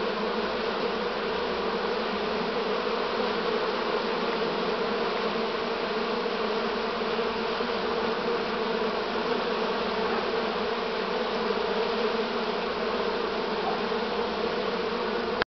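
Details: Continuous massed buzzing from a honey bee swarm in Romania, 6 September 2019, this year's swarm near season's end; a thick, level hum holds unchanged for the whole stretch.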